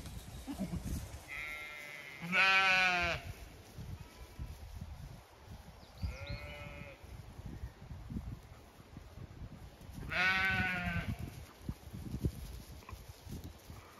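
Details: Flock of Zwartbles sheep, ewes with growing lambs, in sunny May pasture on an Irish farm in County Kilkenny. Two loud, quavering, harmonic bleats about eight seconds apart with a softer one between, against light wind noise.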